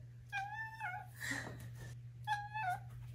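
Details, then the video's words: Five-month-old female Maine Coon kitten indoors, giving two short tonal meows with a slight trill, about two seconds apart, over a steady low hum and a brief rustle between them. "5 Month Old Maine Coon Kitten Makes Cute, Funny Sounds"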